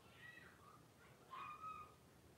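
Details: A litter of five young blenheim Cavalier King Charles Spaniel puppies with their mother Paris in an indoor puppy pen, January 2023; two short, high, thin squeals, the second louder and sliding downward, against quiet room noise.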